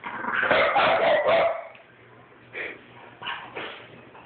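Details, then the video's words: Two French Bulldogs, one a 9-week-old puppy, squabbling: a dense run of rough growling barks packed into the first second and a half, then a quieter pause broken by two or three shorter, sharper yaps. "French bulldog argument"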